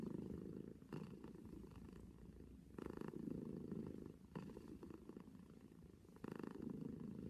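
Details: Domestic cat purring steadily and close up, a low rumbling drone that swells and fades with each breath, the pulses roughly every one and a half to two seconds, in a quiet indoor setting.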